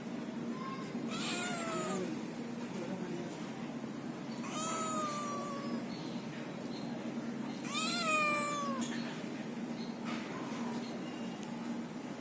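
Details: Kittens mewing three times, each cry a thin, high meow that rises then falls, spaced about three to four seconds apart, over a constant low hum with scattered small clicks.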